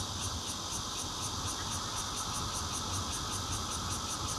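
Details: Nokia Lumia 820 recording of bear cicadas, red-veined and intermittent singers, made 16 June 2013 from a fourth floor in Zhongli, Taiwan: an unbroken, grating drone carrying regular, high, throbbing pulses, roughly four each second.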